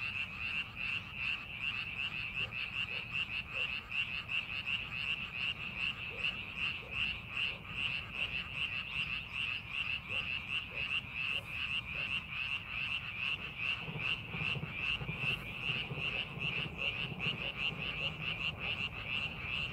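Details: Chorus of frogs in a rice paddy during farming preparation, a scenic setting; dense rhythmic pulsed croaking continues for twenty seconds, with faint lower clicks and a brief low rumble near the end.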